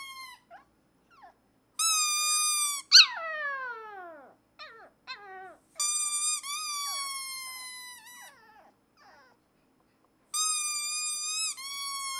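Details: A shy black male Pomeranian puppy, playing with a green squeaker toy, howls in long, high, wavering notes, with one sharp yelp sliding steeply down.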